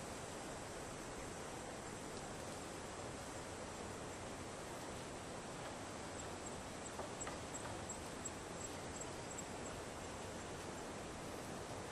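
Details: Steady broadband hiss like rushing water or wind, with no clear animal call.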